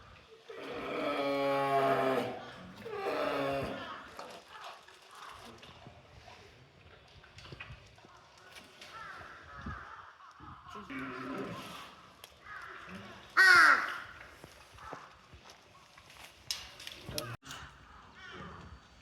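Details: Bear cub calling at Showa-Shinzan Bear Ranch: two loud, moaning, harmonic bawls in the first four seconds, then quieter rough sounds and a sharp, high whistle-like note near the thirteen-second mark.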